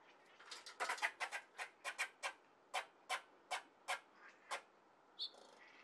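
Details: A squirrel at a window ledge gives a rapid series of sharp, raspy chucks in panic as a cat walks nearby, while climbing to a safer height.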